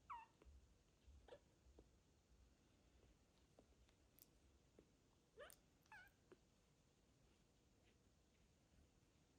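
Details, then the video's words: Sick male foster kitten meowing loudly indoors on his first arrival at a new home in a small village in Ukraine; short, falling meows at irregular moments, a few seconds apart, over a quiet room with faint rustling and clicks. "A foster kitten meows loudly as he comes into my home for the first time"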